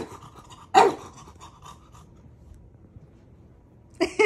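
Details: Maui, a pet dog, teasing and testing the patience of his big brother indoors: one sharp, loud bark near the start, a stretch of soft panting and quiet murmuring, then two quick barks close together at the end.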